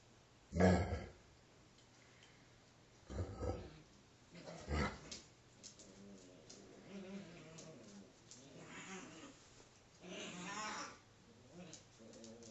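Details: Alaskan Malamute, a 5-week-old female pup playing with her father: short harsh low bursts early on, then wavering harmonic whines and soft grunts in the second half, with a rough longer whine near ten seconds.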